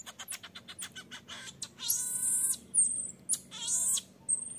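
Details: A baby marmoset begs to nurse and its mother sternly refuses; a quick string of sharp high chirps leads into two loud, sustained, shrill harmonic wails separated by a brief pause.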